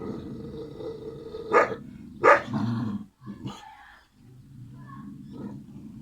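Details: Kangal puppies, the siblings Karo and Karaca, growling low and rough with a couple of sharper yelping bursts, then a short pause before the rumbling growl resumes.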